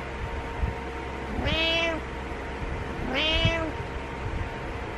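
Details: Cat or kitten meowing twice, each meow about half a second long with a quick rise then level, falling tail, spaced under two seconds apart, against a steady electrical hum.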